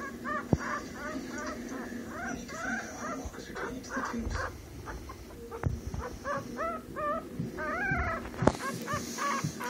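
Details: Yorkshire Terrier puppy named Jaden taking its first baby steps while learning to walk; high squeaky whimpers rise and fall in quick runs, roughly every half second, over a low steady hum, with a sharp knock near the end.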